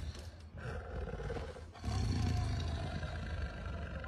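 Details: White lion giving a deep, low rumbling roar that swells in after about two seconds and holds steady to the end, preceded by a lighter, hissy start.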